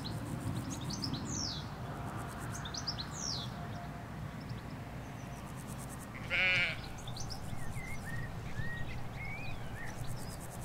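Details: Sheep, ewes with their lambs, in a Hampshire countryside field, recorded in stereo from a hedge. A single short, wavering, harmonic bleat stands out midway, set against scattered high bird chirps and a steady low rumble of distant road noise.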